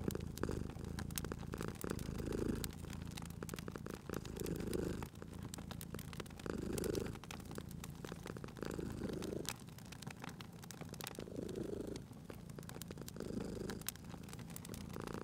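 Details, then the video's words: Cat by a crackling fireplace giving a gentle, low purr that pulses in slow breath cycles, partly masked by frequent snapping and popping of the fire. "Cute Purring Cat at a Crackling Fireplace"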